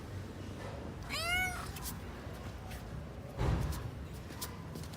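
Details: Hungry kitten at home looking for its parent cats, a single short arched meow near the start, then a dull thump and faint clicks over steady low background noise.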